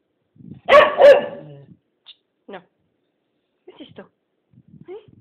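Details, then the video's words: Blue the Keeshond, asked whether she wants to go outside, gives a loud doubled bark, then scattered soft whimpers and yips, with a person talking indoors. "Blue (Keeshond) Wants to Go Outside"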